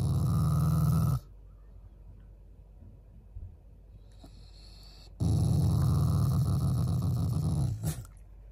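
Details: Pet Shiba Inu growling affectionately at its owners, not in anger: a low, rumbling, rapidly pulsed growl for about a second, a quiet pause of several seconds, then a second, longer growl near the end.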